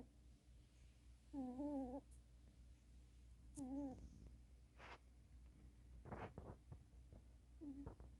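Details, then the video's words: Sleeping cat snoring indoors: short wavering, whistle-like nasal tones on each breath, heard three times about two seconds apart, with soft scattered clicks and rustles in a quiet room. "고양이 코고는 소리???ㅋㅋㅋㅋㅋcat snoring sound???"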